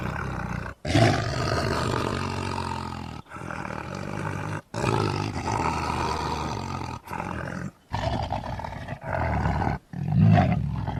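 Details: Lion giving long, gravelly roars with a heavy low rumble, separated by brief gaps, each burst held for one to three seconds.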